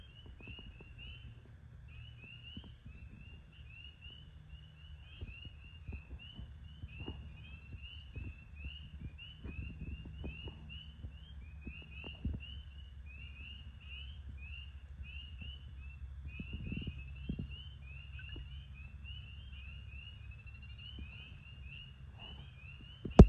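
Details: A chorus of spring peepers at a pond on a cool March evening gives high, rising peeps, repeated and overlapping, over a low rumble.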